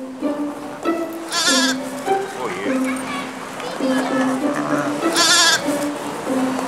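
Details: Eight-day-old Cameroon sheep lamb near its mother in a zoo enclosure shared peacefully with dromedaries; two loud, quavering bleats a few seconds apart over steady background music and a keeper's speech.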